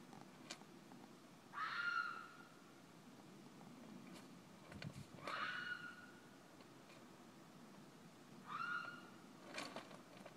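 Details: Fisher screaming in a front yard in the middle of the night: three harsh, nasal cries, each about half a second, rising then holding steady with strong overtones, spaced roughly three seconds apart over a quiet background with a few faint clicks.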